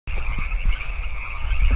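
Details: Wild frogs of California Park calling at 8 PM on 15 March 2014; a steady, dense trilling chorus forms a continuous high band, with low thumping handling noise underneath.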